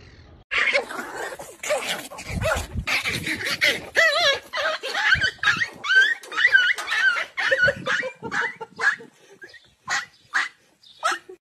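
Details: Several kittens meowing all at once in a noisy, overlapping chorus: short, wavering, tonal mews with bends and quavers, coming in rapid irregular bursts over about eleven seconds, with brief pauses near the end.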